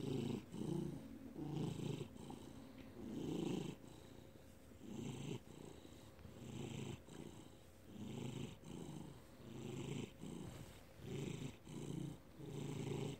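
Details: Purring of Felix, a house cat, filmed May 2019; softer, slightly uneven low rumble in breath-paced pulses about forty per minute, with quiet pauses between.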